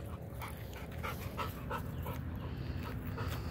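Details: Labrador Retriever during training in a yard, panting in quick rhythmic breaths of about three per second, short airy bursts repeating steadily over a constant low rumble.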